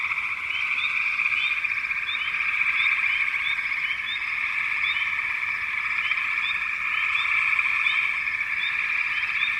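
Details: Frogs calling in a dense, steady chorus: a continuous high trilling drone runs throughout, with short, brighter chirps repeating over it, about several per second.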